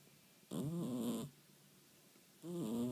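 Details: Sleeping fold-eared domestic cat (Scottish Fold) snoring: two low, raspy, droning breaths with a buzzy, harmonic tone. The first lasts about three-quarters of a second, and the second begins after a quiet pause of roughly a second.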